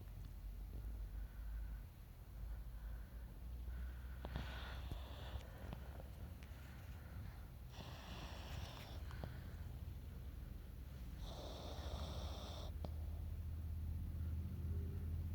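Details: Sleeping puppy snoring indoors, with breathy, rasping snores coming in bursts every three to four seconds over a steady low hum.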